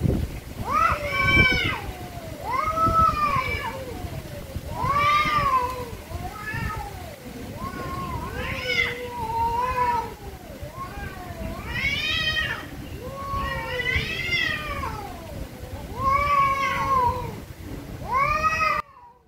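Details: Angry cats meowing very loudly and almost nonstop, nearly a dozen harsh, wavering meows that rise then drop, each about a second long, one following another with hardly a break.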